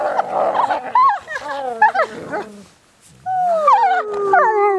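Wolves howl in chorus, long gliding tones overlapping with yips and wavering, falling wails.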